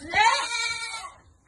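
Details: A single goat on a goat farm during vitamin dosing, one loud, quavering, nasal bleat lasting about a second, rising sharply then tapering off into quiet.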